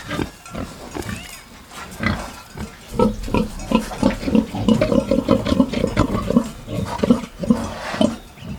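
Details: Pig snuffling and grunting, dense low rhythmic grunts in quick succession with rustling noise throughout.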